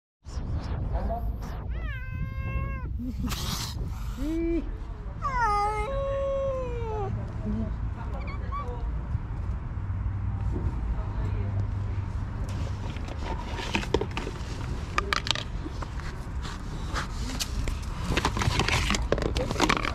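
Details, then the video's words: A mother cat with two kittens, stray street cats being fed, gives a few rising-then-falling meows in the first seconds, then low rumbling background noise and scattered clatter for the rest. "Mother cat with two cute kittens."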